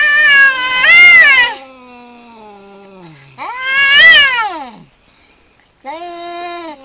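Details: Domestic cats fighting, giving loud drawn-out caterwauls: two long wailing yowls that rise and fall in pitch, each trailing into a lower moan, then a shorter steady wail at the end.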